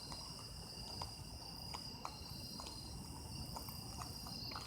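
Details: Japanese autumn insects singing together, a constant high-pitched ringing made of several sustained trill bands, with soft scattered clicks and taps along with a low background hum.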